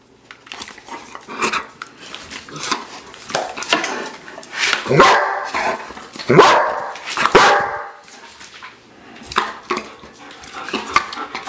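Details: Two German Shepherds, Wookiee and Ahsoka, romp with a spray bottle; bursts of loud, rough barks and excited yips cluster near the middle, with hissing sprays and household clatter between them.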